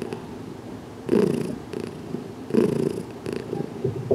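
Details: Purring house cat Heidi enjoying a slow, cautious head massage indoors, June 6, 2019; two strong low purr bursts about 1.4 seconds apart, with a quieter steady rumble between them.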